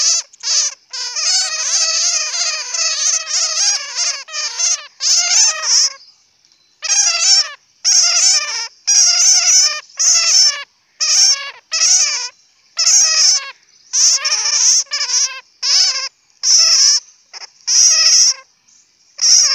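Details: Bat calling nearly continuously, a long string of buzzy, rapidly pulsed squeaks broken into many short bursts with only brief silences between them.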